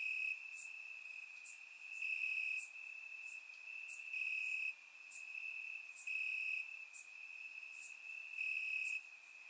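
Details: Crickets in grass on a warm Bulgarian summer night, captured by a surround microphone: an unbroken high trill with short bright chirp bursts repeating roughly every second, loudness gently swelling and dipping.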